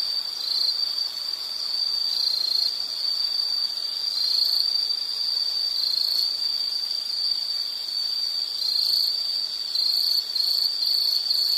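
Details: Insect chorus in a natural setting, a shrill unbroken trill held at one high pitch throughout, occasionally swelling slightly, over a light background hiss.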